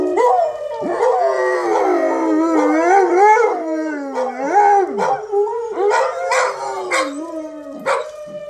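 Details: Group of dogs howling to a siren test, dense overlapping wails that bend up and down in pitch, with yelps and breaks near the end, a faint steady siren beneath.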